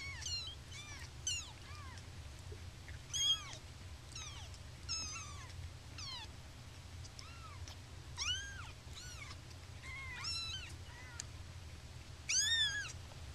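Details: Several baby kitties, happy and stretching, chorus in squeaky arched mews, some short and clipped, others drawn out, tumbling over one another across the stretch with a constant low background drone.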